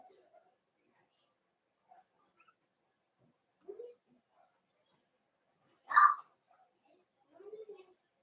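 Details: Cavalier King Charles Spaniel puppies indoors in a home puppy pen, meeting bigger adult dogs during socialization; a few short high whines and yelps, one louder squeal near the middle, separated by quiet gaps.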